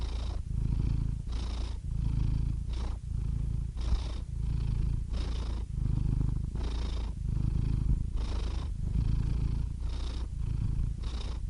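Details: Domestic cat purring steadily, a deep rumbling drone with breathy hiss-like pulses every second or so as the cat breathes in and out, continuous and close throughout.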